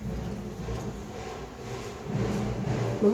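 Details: Vehicle engine rumble and traffic noise fill the air, with faint voices in the background.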